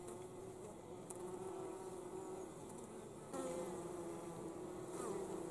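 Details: Honey bees bringing in pollen in winter, a steady droning hum with a low buzzy tone holding throughout, growing slightly louder after three seconds, with faint clicks.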